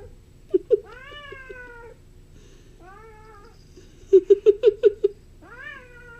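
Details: Bengal kitten named Lily playing indoors with a dragonfly, making a long harmonic meow that slides gently downward, a shorter falling meow, then a quick run of six chirping staccato calls and a final rising meow.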